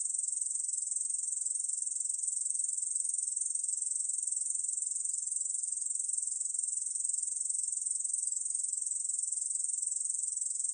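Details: Korean bush cricket producing a long, unbroken, metallic buzzing song of rapid uniform pulses at constant loudness, no other sounds present.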